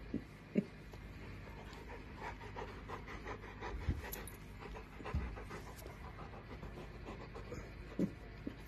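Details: Bernese Mountain Dog panting steadily, quick soft breathy huffs repeating several times a second, with a few louder thumps and faint background rumble.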